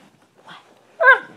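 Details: Talking dog making a short, whining vocal sound: a soft faint murmur followed by one brief, loud, harmonic yelp-like whine with a slight falling bend.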